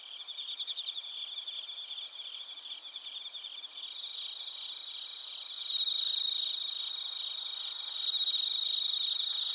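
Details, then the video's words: Crickets and bell crickets from Narita, Chiba Prefecture, Japan, TASCAM Portacapture X8: quick pulsed chirps at first, then a bright sustained ringing trill starting twice, layered over a constant high insect chorus. "スズムシとコオロギの鳴き声 - Chirping of crickets"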